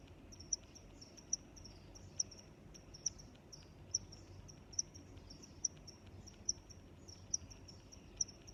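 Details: Crickets chirping in a natural setting: a steady high, shimmering chirp train with sharp ticking clicks roughly every 0.85 seconds, about ten in all, over a faint low background rumble.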